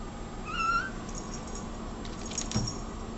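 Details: Cat giving a single brief, rising meow near the start, followed by faint jangling and a soft knock against a low steady hum indoors.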